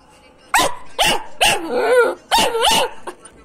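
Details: A Belgian Malinois puppy barks in short, high-pitched bursts about once every second; the barks are thin and puppyish, some breaking into squeaky yelps, with a couple of longer, wavering yelps drawn out between them.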